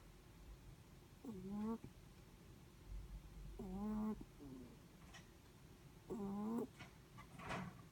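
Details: Sleeping Netherland Dwarf rabbit breathing with faint whistling snores, three short humming tones rising at their ends, spaced about two and a half seconds apart, with a light rustle near the close.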